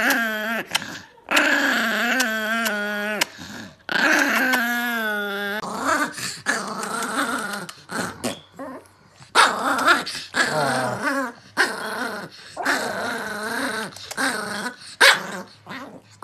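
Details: An angry Chihuahua growls and whines in long, strained, tonal snarls that rise and fall, broken by short yips and brief pauses across the clip.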